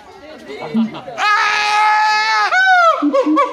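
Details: Siamang at Higashiyama Zoo screaming in a human-like way: a long, loud, sustained tonal wail with rich harmonics, then a rising-falling whoop, with short lower calls before and after.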